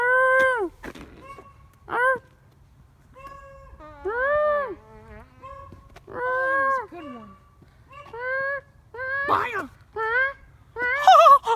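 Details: Dogs 'talking' to a familiar person: a run of arched, harmonic yodeling whines and howls, each under a second, coming in quick succession with varied rising and falling pitch, some overlapping near the end.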